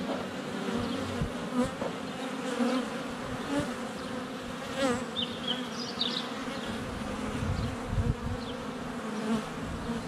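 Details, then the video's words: Honey bees flying around a hive entrance on a sunny February day, filmed up close with a GoPro Hero 7 Black: a dense, steady low buzz of many wings, with brief high bird chirps and whistles scattered above it. "Honey Bees - ambient video and audio"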